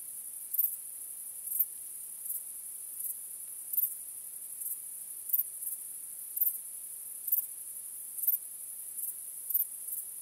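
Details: Chirping of crickets at night: a thin, high, unbroken trill with brighter accents recurring about every 0.7 seconds. The setting is calm and quiet.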